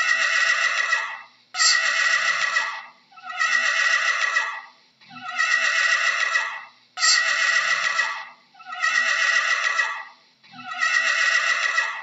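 A horse whinnies over and over, each loud, breathy neigh lasting over a second.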